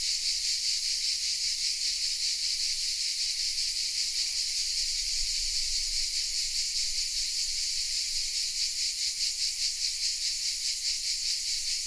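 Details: Cicadas hidden in the oaks of the village of Vézénobres in southern France sing a steady, high-pitched, sizzling buzz that pulses slightly without pause.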